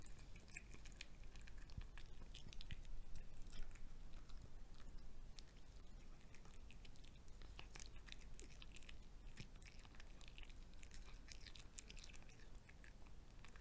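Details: Pet cat eating fried egg indoors, recorded up close: a steady run of moist chewing and sharp crisp bites, about two per second, over a low room hum, with no voices.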